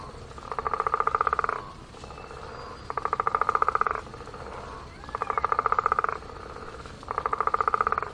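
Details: Frogs by a pond give rapid, pulsed croaks in bursts of about a second, repeated every two seconds.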